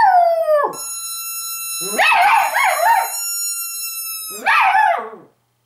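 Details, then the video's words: Pet female dog voicing her longing when missing her owners or wanting to wake them; a falling howl tail, then warbling, undulating howls with rough edges, a pause, and one more short wavering howl. "Mistys longing"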